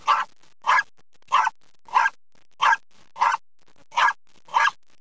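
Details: Agitated pet dog barking at windshield wipers, treating them as something to eat: eight loud, sharp barks repeated steadily about every 0.6 seconds with no other sound.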